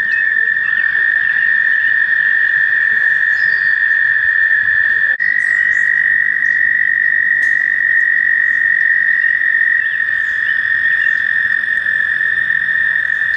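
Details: Chorus of American toads at a shallow nature-center pond on a warm May day in mating season: one long continuous musical trill holds steady for the whole stretch, other trills overlapping, brief click midway.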